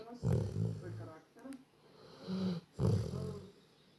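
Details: A dog snoring indoors, with three deep, rumbling, low-pitched breaths in uneven bursts separated by short quiet pauses.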